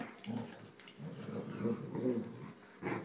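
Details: Boxer playing with two Jack Russell Terriers indoors; low, rumbling play growls rise and fall in several bursts, with a short sharper note at the end and a quiet room behind.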